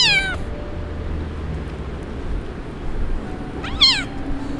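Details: An abandoned kitten, left by its owner, cries in the street: two loud, clear meows, one cut off at the start and another near the end, each sliding downward, with steady low outdoor hum between them.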